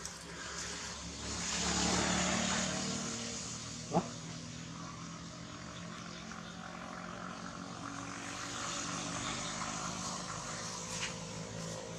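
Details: Loud broadband engine drone, like a propeller aircraft passing, rising and fading, with a single sharp knock partway through.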